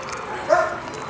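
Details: A dog gives a single short, mid-pitched yip partway through, against a steady background hiss and soft household sounds, with a person chatting to the animal about a toy and a treat.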